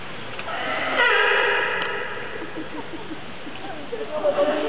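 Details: California sea lion at Opole Zoo giving one loud, harmonic, horn-like honk lasting about a second. Fainter murmuring follows, with people's voices near the end.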